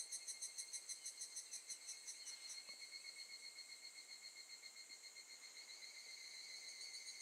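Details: Evening cicada singing at Gakujin no Mori campground, Tokushima, August 2018: crisp, high pulsing notes at first, weakening into a thinner continuous shrill buzz over faint background hiss.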